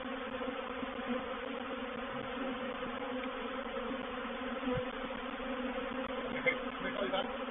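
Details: Continuous hum of a honey bee reproductive swarm settling into a swarm trap at Painted Peacock Manor on 04/07/21. The droning buzz stays steady, with a brief knock near the middle and faint higher chirps near the end.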